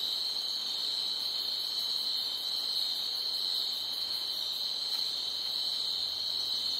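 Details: Crickets at night chirping loudly in a continuous, shrill, high trill. The fast pulses blur into an even drone, with no other clear sounds.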